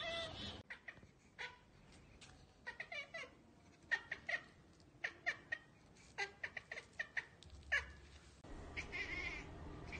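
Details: House cat chattering at a bird or insect out of reach, a rapid run of sharp clicking bursts and clipped chirps, several per second, ending in a longer noisy rush.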